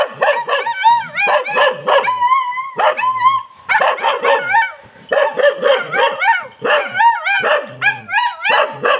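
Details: Barking Bali dog giving near-continuous rapid barks and yips, many sliding up and down in pitch, with brief gaps between runs of four to six calls.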